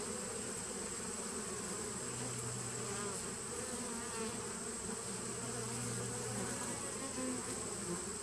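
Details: Honey bee nucleus colony, established 2017, recorded 19 September 2018: steady buzzing hum with a deeper sustained tone appearing for a second or two at intervals, over constant hiss.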